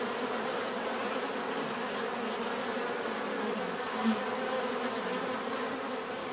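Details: Natural bee buzzing: a constant swarm drone with stacked humming bands, one brief louder pass around the fourth second, no other sounds standing out.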